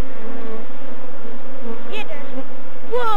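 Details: Swarm of African honey bees, Apis mellifera scutellata, in Kenya, Eastern Africa, being brushed and caught while climbing over the beekeeper; a steady low droning hum throughout, with brief human voices toward the end.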